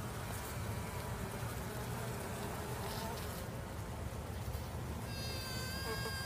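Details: Female honey bee giving a steady low droning buzz through the whole stretch, with a few brief high, harmonic chirps from another source near the end.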